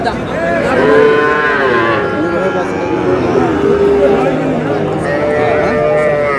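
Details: Sahiwal cattle, bull calves, at a busy cattle market in Barishal, Bangladesh: drawn-out, wavering moos rise and fall over a crowded background, with several animals overlapping and buyers haggling nearby.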